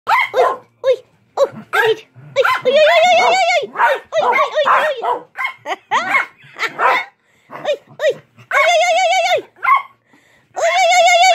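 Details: Chihuahua biting at toes indoors, giving sharp, repeated barks and high, wavering whining yelps in bursts, mixed with loud human voices and laughter.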